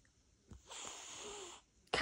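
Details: A domestic cat gives a sharp, breathy hiss, a defensive warning at having its paws touched; it wags its tail hard, bites when handled and is angry, and another cat runs over.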